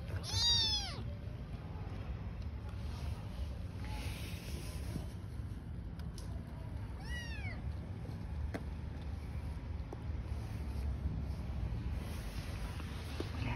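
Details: Among newborn kittens and a mother cat living on the street, a clear high meow opens, then a second fainter, shorter meow follows about six seconds later against quiet low outdoor hum.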